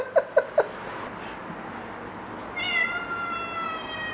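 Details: Pet cat playing with foxtail grass, three quick sharp clicks at the start, then after a pause a long, thin, high, steady meow that slowly fades, against quiet room hiss.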